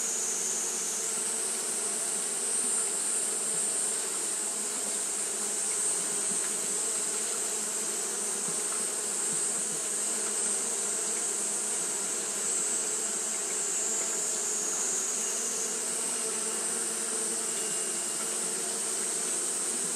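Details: Twenty seconds of Japanese honey bees fanning nonstop in hot weather; the drone stays level and unbroken, layered buzzing tones over a persistent shrill hiss that shifts slightly in pitch.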